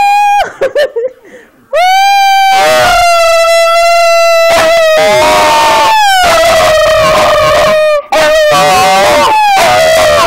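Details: Pet Schipperke dog singing along with its owner, long sustained tonal howls holding steady then sliding slightly downward, several drawn-out phrases broken by short gaps, a person's voice heard briefly at the start.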